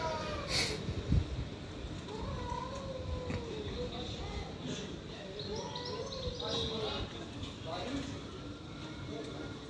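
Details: Stray cats fighting, giving long wavering yowls that slide slowly up and down in drawn-out tones, with a brief sharp noise early on and a steady rumble of outdoor background noise underneath.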